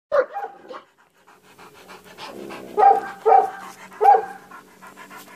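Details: A Bully Kutta (Pakistani mastiff) gives four deep, short barks, one at the start and three about a second apart near the end, with steady panting between them.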